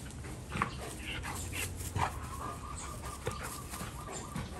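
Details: Two Golden Retrievers in excessive rough play: short, irregular bursts of growly, whimpering vocal noise, a few sharper yelps, over a faint steady hum and background rustling.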